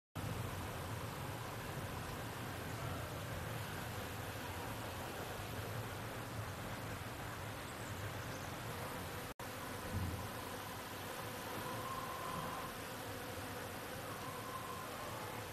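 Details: A foraging Western honey bee (Apis mellifera) on flowering hazel catkins gives a steady, droning wing buzz over a constant rush of background noise.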